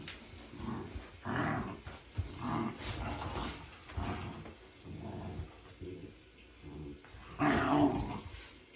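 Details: Nala and Jersey, two household dogs, play in a new playroom while Nala guards a tent from Jersey: throaty growls and gruff barks come in repeated bursts roughly every second, with a louder growling outburst near the end.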